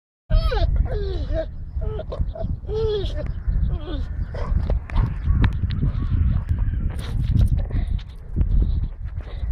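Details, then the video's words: Staffordshire Bull Terrier that has scented a female in heat, 'talking' while searching for her: a run of wavering, up-and-down whining moans in the first two seconds, then a steady low rumble with rustling and knocking noises. "Staffordshire sucht nach heißer Hündin, der Hund spricht sogar"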